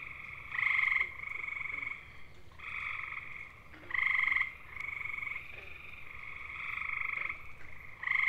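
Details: Gray tree frogs (Hyla versicolor) of eastern North America give loud, musical, bird-like mating trills, each a rapid burst of pulses lasting about a second; males sing to attract mates.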